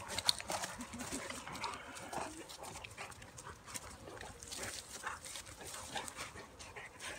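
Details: Bulldog/Staffy cross and Cane Corso wrestling together in play, with rough breathy panting and snuffling, scuffling bursts and short hissy rasps spread unevenly through the clip.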